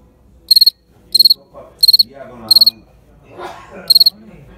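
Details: Field cricket calling; bright pulsed chirps of about four rapid pulses each, repeated roughly every 0.7 seconds, with a low voice murmuring underneath.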